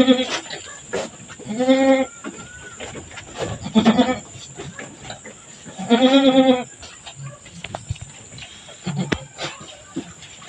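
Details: Goat on a small farm bleating during birth, three drawn-out wavering harmonic bleats around two, four and six seconds, with quieter rustling, faint voices and a steady high electrical whine between calls.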